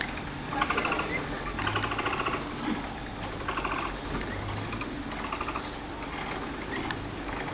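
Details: Several capybara babies jostling to suckle at Nasu Animal Kingdom in Japan, filmed 4 July 2014: repeated short bursts of fast ticking, purr-like clicks, each lasting under a second, layered over a constant low drone.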